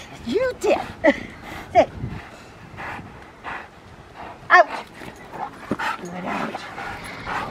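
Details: Protection-training session with the Rottweiler Magda vd Fehn Kolonie, BH: a quick run of three sharp barks, a pause, then one more loud bark, over steady human speech.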